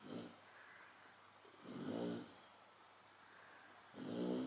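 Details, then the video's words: Sleeping Chow Chow snoring steadily, with three rough, rumbling inhalations about two seconds apart, each swelling and fading over roughly half a second, against a faint indoor hiss. "chow chow qui ronfle"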